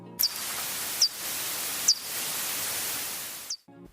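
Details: A bat endemic to Mexico gives brief, high, downward-sweeping chirps, spaced irregularly, over a steady hiss. It was recorded for a Latin American bat sound library.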